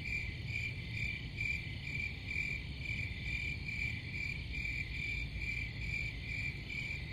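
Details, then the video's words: Crickets chirping in a steady, fast pulsing chorus, about two pulses a second, with a bright ringing band over a low constant rumble of background noise. "Crickets Sound"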